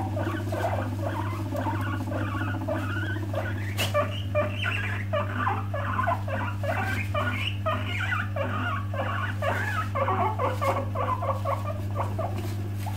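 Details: Guinea pig teeth chattering, a sign of an angry or upset animal warning others to stop and stay away; dense run of short squeaky chirps rising and falling, with scattered sharp clicks over a steady low hum.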